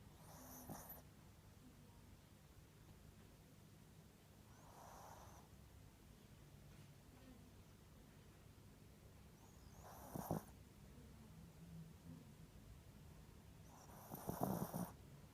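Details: Sleeping Spitz dog snoring softly indoors, four brief breathy snorts spaced roughly four to five seconds apart, the last two louder, over a quiet low hum.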